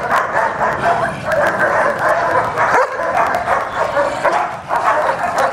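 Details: German Shepherd under evaluation as a personal protection dog; dense, harsh, continuous barking and yelping, loud throughout with only a brief dip near the middle.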